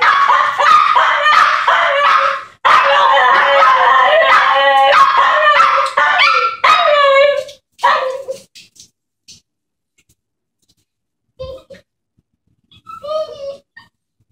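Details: Excited puppies Wookie and Guinness greet a returning woman with dense, rapid barking and yipping for about eight seconds, fading into a few scattered high yelps and whines.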